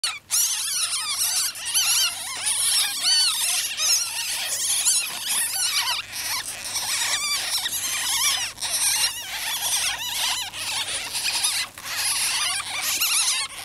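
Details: Several young ferrets, kits in a cage, squeal and chatter almost without pause in high, wavering, shrill bursts that rise and fall in quick succession, with brief gaps between the louder runs.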